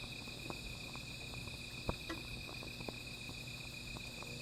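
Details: Insects calling at night beside a small fire: a steady, finely pulsed high trill runs unbroken under fainter shimmering tones, with sharp fire crackles popping throughout and a low steady hum beneath.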